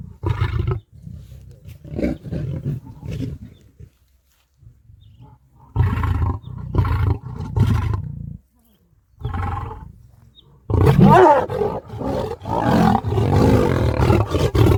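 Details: A lion roars in deep, rumbling bursts, building to louder, rasping calls; lions of both sexes roar to advertise location, show strength and intimidate rival prides, audible up to five miles away.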